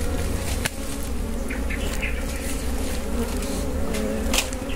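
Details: Constant deep buzzing of wild honey bees at a wild honey harvest in the Philippines, a dense even hum with occasional sharp taps and rustles over it.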